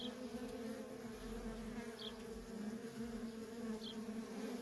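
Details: Feral honey bee colony with constant worker traffic, heard as an even, thick buzzing drone with two or three individual bees flying close by as quick higher-pitched zips.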